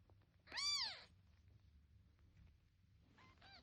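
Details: Kitten meowing: one loud, high, arched meow with clear harmonics, followed after a pause by a fainter, shorter second cry, in an otherwise quiet setting.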